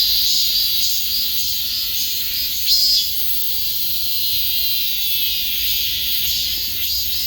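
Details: Cicada droning in a steady, dense high-pitched buzz that holds without pause, with a brief louder swell near the three-second mark.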